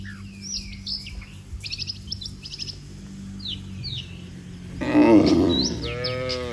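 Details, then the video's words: Cattle in a long orderly line on a road give a moo, said to call the herd home. Bird chirps fill the first part; a loud, strong low moo starts late and runs to the end. "Suara Sapi Moo, Puluhan sapi Lembu Memanggil kawanan untuk pulang"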